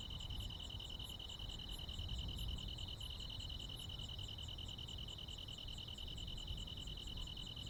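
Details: Crickets and insects calling on a midsummer night in the Korean countryside: a loud, even, high ringing trill with rapid ticking pulses higher up and a soft low rumble.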